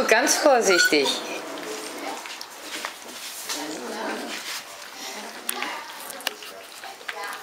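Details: Hungarian Vizsla puppies, 21 days old, of the B litter vom Elsterhaus, recorded 3 June 2015 while storming their big sister Anouk indoors. A burst of high, sweeping whines and yelps opens, then scrabbling, clatter and softer noise follow.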